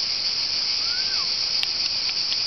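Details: Cicadas calling at Olympia, Greece, 26 July 2008, amid ancient ruins; a continuous shrill buzz holds steady, with a faint brief whistle-like sound and a click in the background.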